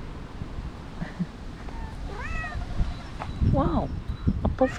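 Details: Stray cats in a park, several coming close while one is being petted; a few short rising-falling meows, one around mid-clip and a lower one near the end, mixed with a person talking and outdoor background noise.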